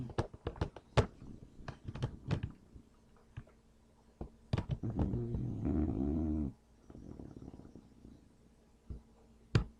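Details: An English Bulldog, deeply asleep and not waking, snores with a low, rumbling rasp, broken up by scattered clicks and knocks.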